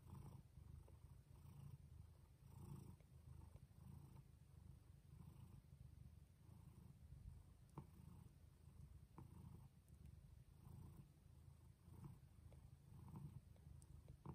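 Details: Pregnant domestic cat Jaco giving birth indoors, overdue by two weeks. A continuous low purr throbs in rhythmic waves throughout, with occasional soft clicks and rustles nearby.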